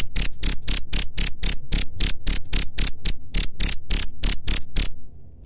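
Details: Cricket calling, used against rats; bright, high chirps pulse about four per second, with a short pause near the middle, then stop abruptly, leaving silence at the end.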